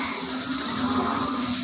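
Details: After midday rain in the rainy season near Bogor, a dense chorus of frogs croaks steadily, many voices blending into a continuous droning throb.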